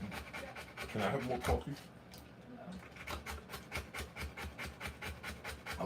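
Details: Rottweiler delivering puppies, heard panting hard in rapid regular breaths about twice a second. A brief human voice cuts in near the start, then the steady huffing continues alone.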